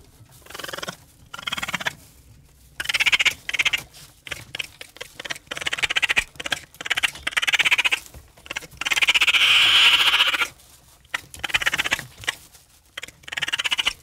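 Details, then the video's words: Raccoon chittering: many short, high, rapidly pulsed bursts broken by brief silences, building to one long steady trill before more choppy chatter. "What does a Raccoon sound like?"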